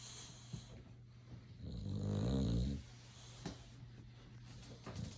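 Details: Sleeping, dreaming Boxer dog gives a single long, throaty snore lasting about a second, rattling and low, between soft quiet breaths in a small room.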